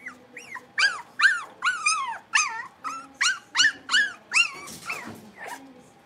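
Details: Playful Blenheim Cavalier King Charles Spaniel puppies in their pen, letting out a quick run of shrill, yelping barks with falling pitch, roughly two or three a second, with a faint low rumble underneath.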